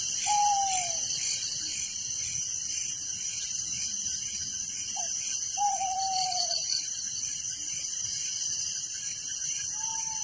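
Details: Crickets chirping through the night in a village give a shrill, continuous pulsing chorus, joined by several separate, gently falling whistled notes spaced a few seconds apart.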